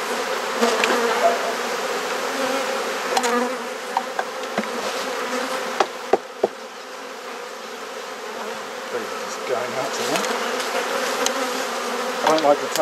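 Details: Honey bees in a hive being inspected, with frames swapped, in a garden in Perth, Australia: a dense, steady droning hum fills the clip, with a few sharp clicks and knocks from handling the hive.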